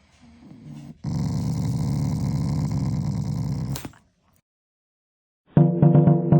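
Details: Affectionate growl from a pet Shiba Inu toward its owner: a faint low murmur, then one sustained deep rattling growl lasting about three seconds, silence, and a burst of music at the end.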